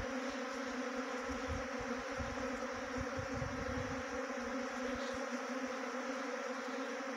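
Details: A steady hum from a honey bee swarm being caught into a bee box in Uttarakhand, India: constant droning with layered overtones, and a patch of low rumbling bumps in the middle seconds.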